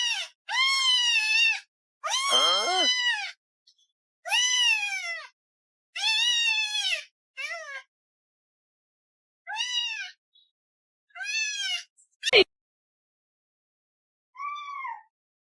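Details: Pet cat meowing indoors in a series of about nine clear, tonal meows, each rising and then falling in pitch, with short silences between them and one sharp click near the end.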